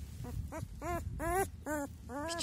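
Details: Kangal puppies, lifted by the scruff of the neck, give a run of six short, tonal yelping whines, each arching up and falling away, spaced under half a second apart, over soft handling rustle.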